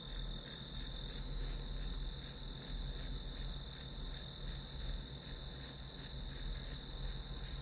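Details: Grass insects calling as white noise while studying, bright high pulsed chirps repeating roughly three times a second over an unbroken shrill tone and low background hum.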